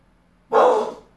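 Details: Azula the pit bull gives one short, breathy, muffled woof after hearing a dog outside, a single burst of about half a second in a quiet room.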